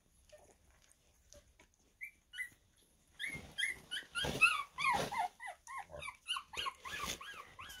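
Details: A litter of 2.5-week-old Havanese puppies builds from a few quiet peeps to a busy chorus of overlapping high squeals and whines, arched notes repeating rapidly near the end.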